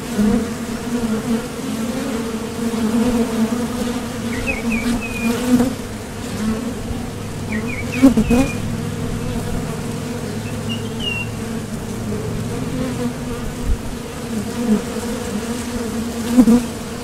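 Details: At a Top Bar Hive entrance, honeybees depart for and return from the field seeking nectar. A rich, constant buzz with occasional close fly-bys, plus a few soft distant bird chirps in the middle.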